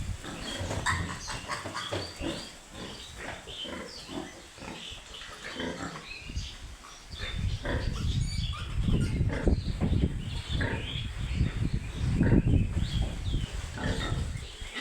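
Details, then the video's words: Piglets on a pig farm grunting steadily in quick, uneven bursts, several each second, with occasional thin squeals riding above the low chorus and the grunting swelling louder toward the end. "BABY PIG"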